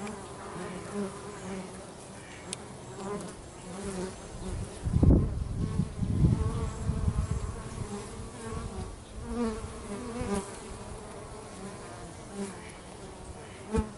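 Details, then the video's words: Bees at work near a house make a constant low buzzing hum, broken midway by several louder rumbling bursts close to the microphone, then settling back to the steady drone. "Bees at Home"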